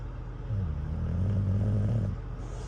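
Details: Cruz, an English Bulldog asleep at a truck stop and tired out by a campfire toy, gives one low, rasping, buzzy snore of under two seconds over a steady rumble of idling engines.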